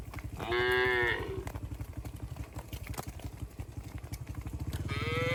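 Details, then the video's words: A single drawn-out moo from cattle being herded through the forest toward the shed, with a second moo beginning at the end, over the steady pulsing drone of a motorcycle engine. "Suara sapi moo melompat gembira"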